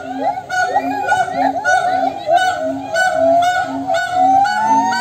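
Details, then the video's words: Monkeys calling back and forth to each other. Short tonal hoots repeat about every half second beneath a slowly rising whistled wail, with bright harmonic overtones and a busy chorus throughout. "suara monyet yang saling bersahutan"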